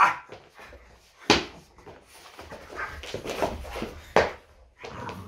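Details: French Bulldog named Loki indoors during a typical morning, giving two short, sharp barks, one just after the first second and one near the fourth, with rustling, shuffling and faint household noise filling the gaps.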